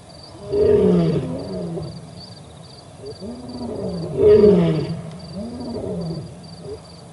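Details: Male lion roaring at the Olifants River in Africa on 4 October 2020, live camera, with another male lion nearby; deep groaning roars rise and fall in two loud bursts about three and a half seconds apart, a steady insect tone above.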